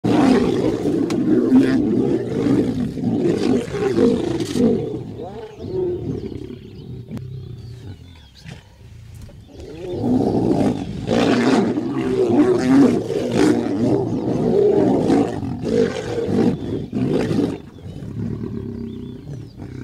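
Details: Lions of a pride fighting in Kenya's Maasai Mara, short-lived family feud: loud, harsh rumbling growls and snarls in two bursts, the first fading around seven seconds, the second rising again near ten seconds, with a quiet gap between.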